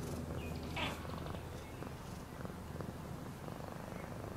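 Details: Cat purring at close range: rapid low throbbing rumble, about three pulses a second, with a short rustle near the start.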